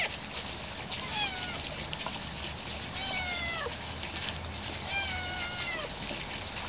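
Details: Harry, a week-old puppy born with a cleft palate, gives three drawn-out whining cries, each sliding downward and spaced about two seconds apart, over a steady background hiss.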